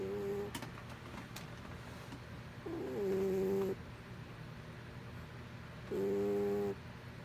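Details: Mr. Whiskers, a pet cat, snores in his sleep, giving two drawn-out buzzy nasal tones about three seconds apart, with a few soft clicks near the start and a low hum underneath.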